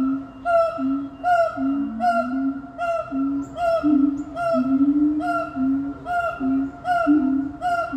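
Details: Siamangs call together in a family chorus of loud, overlapping hoots repeated in a steady rhythm; their calls can carry about two miles.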